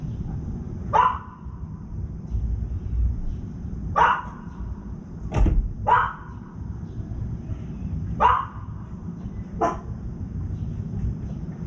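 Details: Dog barks nearby as a young crow eats undisturbed: six separate barks at uneven intervals of one to three seconds over a steady low rumbling background.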